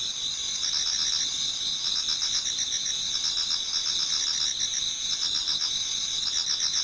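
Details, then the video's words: Autumn insect chorus in a Japanese garden as dawn nears, many singers together: a shrill unbroken high trill beneath rapid rhythmic pulsing chirps, fairly even throughout, nothing else clearly audible. "Autumn Insects voice Towards dawn"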